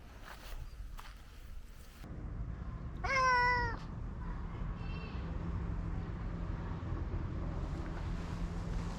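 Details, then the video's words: House cat giving one loud, clear meow lasting under a second, with a bright, wavering tone. A much softer second meow follows shortly after, over a low steady hum and faint knocks. "猫ちゃんの鳴き声特集 その２"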